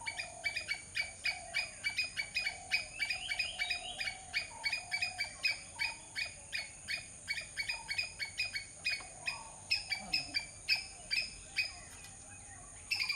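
A squirrel gives a long, steady run of sharp, chirping chips, about two or three each second.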